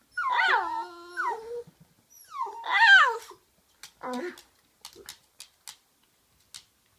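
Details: Toy Poodle wanting a game of fetch, letting out two loud wavering whines and a short lower whimper, followed by scattered clicking taps in a quiet room.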